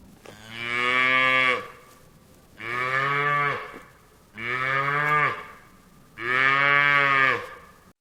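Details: Cow lowing four times, roughly every two seconds: each moo a loud, harmonic-rich, nasal bellow of about a second, steady in pitch, separated by short quiet gaps.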